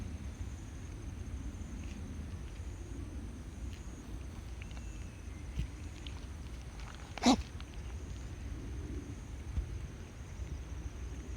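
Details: A tabby cat sneezes while sitting in a funny posture: one sharp, sudden burst of breath midway through, otherwise only a quiet, steady indoor hum.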